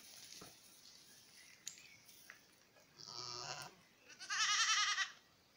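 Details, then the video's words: Miniature goat kids at play at dusk on a French breeding farm; two loud, wavering, strongly harmonic bleats around 3 and 4.5 seconds, the second higher and longer, after quiet clicks and thumps. "Chèvres miniatures des Tourelles ~ Jeux des chevreaux au crépuscule"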